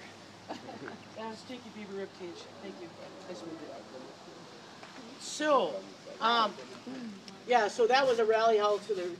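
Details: Gray wolves at the International Wolf Center in Ely, Minnesota, break into a rally of wavering, whining howls after a man speaks quietly in the background.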